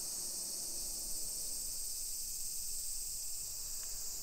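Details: Summer cicadas calling in a hillside residential neighborhood of Nisshin city, suburban Nagoya, Aichi Prefecture, Japan, at 1 PM on 28 July 2021: a continuous high, hissing drone that holds steady throughout, with faint low street rumble and one brief tick near the end.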